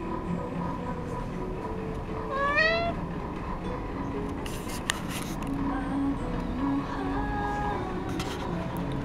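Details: A cat gives a single short meow that rises steeply in pitch, heard amid a noisy indoor background with low hum and scattered clatters.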